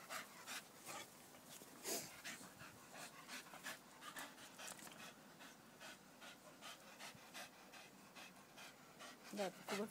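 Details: Staffordshire Bull Terriers panting: quick breathy bursts of rough noise at about three per second, slightly irregular, with a short sharper vocal sound near the end.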